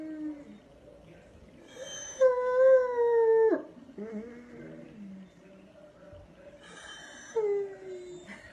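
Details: Dog giving a sustained wavering howl that drops sharply at the end, then falls quiet. A shorter descending howl follows near the close, over faint background noise.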